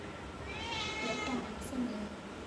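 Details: A pet cat named Mini gives a single drawn-out harmonic meow, with quiet voices and room noise underneath.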